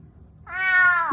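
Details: Domestic cat attacking and biting its owner indoors gives one loud rising-then-falling meow of about half a second, rich in harmonics, after a quiet start.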